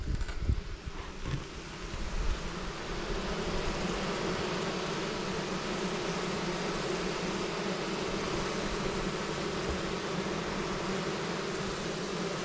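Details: Many western honey bees, nurse bees packed into a queenless 5-frame cell-builder box for spring queen rearing, give a dense, steady hum; the bees were feisty at first, then calm down and settle to an even drone.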